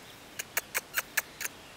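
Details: Six-week-old bulldog puppy named Brandy giving six short high squeaks in quick succession, about one every fifth of a second, with a woman's voice cooing nearby.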